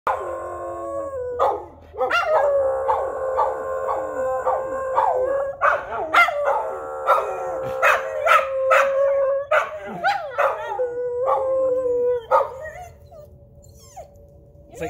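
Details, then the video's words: Two dogs, Cheese and Scooter, howling at a tornado siren: long, wavering, overlapping howls with rich harmonics, broken by sharp barks and yelps, over a steady tone, fading to a lone howl at the end. "Cheese and Scooter howling at the tornado siren."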